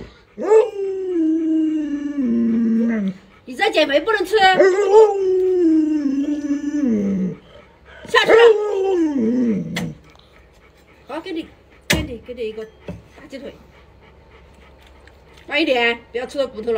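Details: Pet Alaskan Malamute indoors, excited while watching a food program on television: long, sustained wavering howls, several drawn-out bouts rising and falling, separated by short pauses, with a person's speech and laughter mixed in.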